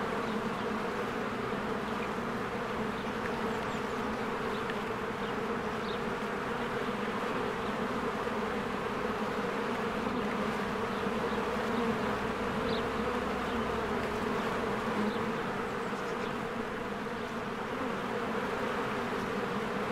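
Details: Swarms of honeybees at a beehive in spring, working diligently as they come and go; a continuous thick buzz with a constant low hum, overlapping wingbeat whirr and occasional faint bird chirps above.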